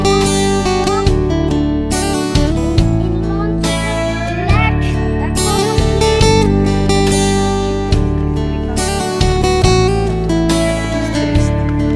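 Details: Strummed acoustic guitar music plays steadily throughout, with a steady low bass beat and no animal sound.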